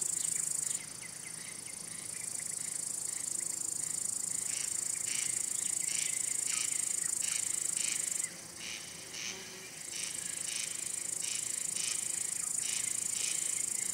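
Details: Male crickets singing: rapid buzzy chirps repeated in quick regular series above a sustained shrill high trill that pauses briefly midway, then returns.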